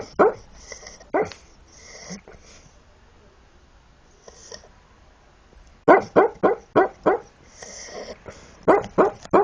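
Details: Sleeping Shar Pei giving a couple of soft woofs and snoring breaths, then a quick run of muffled barks, six or seven in a row, followed by another short burst near the end.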